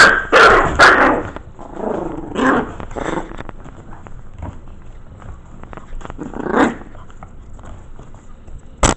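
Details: Five Maltese mix puppies, 5 weeks old, in their corral, reacting to a camera newly placed among them; shrill yapping barks burst out at the start, more follow near two and a half and six and a half seconds, then quieter rustling.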